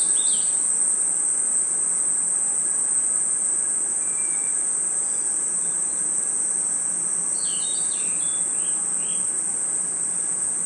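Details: Crickets and other insects chirping at night in a forest: a steady, very high, shrill drone runs unbroken throughout, with brief bird-like chirps around the start and clustered between seven and nine and a half seconds.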